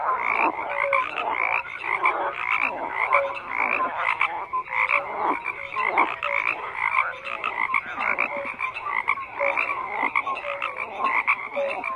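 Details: A thick chorus of frogs croaking: rough, pulsing croaks from many callers overlap constantly, with brief higher tonal chirps popping through and no other sounds.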